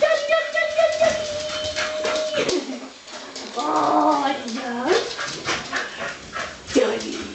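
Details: Soft Coated Wheaten Terriers, five in the household, giving the breed's typical 'Wheaten greeting': a long, steady, high whining tone held for over two seconds, then wavering, yodel-like lower whines and short yelps, with human voices mixed in.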